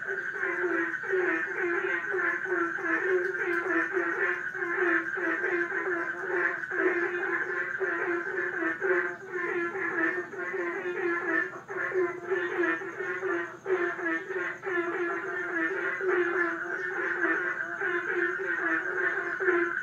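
A dense pond chorus of frogs, many voices croaking and pulsing over one another without pause.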